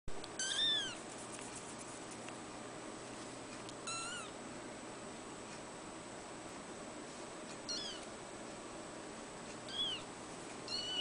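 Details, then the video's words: Three-week-old female Abyssinian kitten, ruddy coat, born 6 December 2010, kept at a cattery, giving thin high mews at irregular intervals, five short calls over a quiet steady background hum. "アビシニアン ルディ女の子 ３週目"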